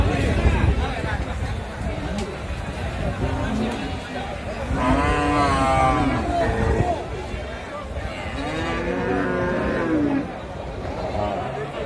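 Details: Holstein Friesian and Sahiwal bulls at a crowded cattle market, two sustained lowing moos in the middle of the recording, over steady crowd chatter and background noise.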